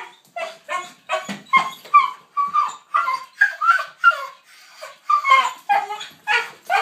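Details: Ten-year-old dog screaming in excitement at the sight of the leash before a walk; a fast, uneven run of shrill yelps and bending whines, more than two per second, without pause.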